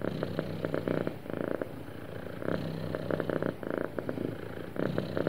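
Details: Happy domestic cat purring steadily, a low rumbling purr in rhythmic pulsed bursts roughly every second, rising and falling with each breath in a quiet room.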